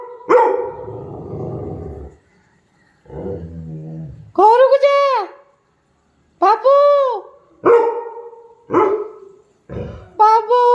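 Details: A pet Labrador retriever at home barks in a run of about five short, tonal, arched barks with a slightly howling quality over the second half, after a person talks to it near the start.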